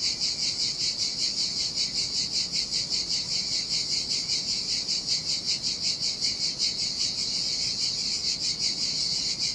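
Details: A continuous shrill cicada chorus on a deserted Sardinian shore in summer heat, beating in regular quick pulses, the buzz easing slightly near the end, with faint low surf underneath.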